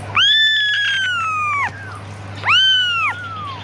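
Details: A kitten cries for its mother in two long, piercing meows, the first held about one and a half seconds and sliding gently downward, the second shorter, with a faint low hum behind.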